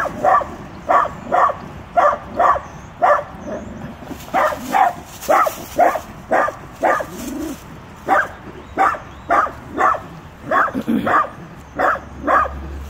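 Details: Tiny Dachshund scolding a full-grown Rottweiler with a long unbroken series of high, sharp barks, about one every second, some doubled, with a brief whine midway.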